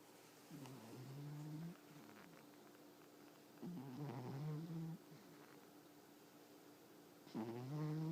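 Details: A sleeping domestic cat snoring: three low, rough, rasping breaths roughly every three seconds, each lasting about a second, with quiet pauses between them in a still room.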